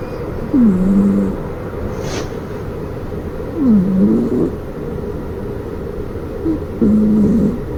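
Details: Maruko, a flat-faced Exotic Shorthair cat, snoring like an old man: three low, droning snores about three seconds apart, each opening with a brief upward slide before settling into a steady hum, over a soft background rumble.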